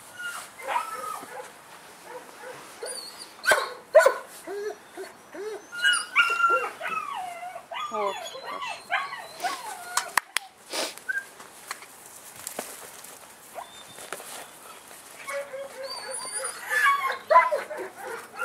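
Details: Young male German Shepherd puppy in Saratov whining and whimpering in irregular, arched, squeaky bursts. Human voices and handling noises are mixed throughout.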